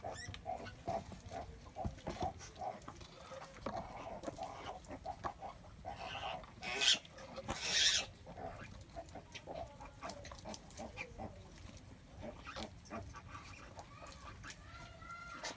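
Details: Sow in labor giving birth; irregular soft grunts and snorts throughout, with two brief louder rustling bursts midway, quiet barn background.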